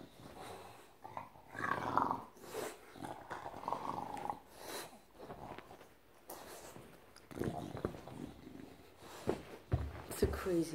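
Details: An excited English Bulldog greets its returning female owner indoors, showing affection by going wild around her head. It gives throaty growling grunts, snuffles and a few brief whiny rises between rustling and close contact noises.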